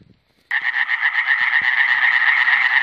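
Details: Iberian tree frog (Hyla molleri), recorded in 2017, bursting into a loud, rapid rattling croak after a half-second of quiet. Fast pulses run together into a harsh, continuous chatter, with a few soft knocks underneath.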